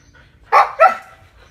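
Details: Siberian Husky given a snack, talking in two short, sharp yelping syllables in quick succession, with quiet room sound before and after.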